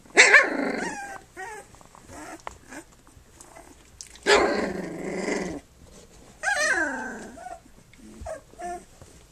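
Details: Flute's puppies on their three-week birthday, nursing and playing: harsh, growly yelping bursts near the start, middle and later, each over a second long, with short rising squeaks and whimpers in between, indoors.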